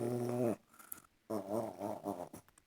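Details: A dog making weird, funny sounds indoors: a sustained harmonic moan with wavering pitch, a pause, then a longer warbling, yodel-like run of rising and falling vocal notes.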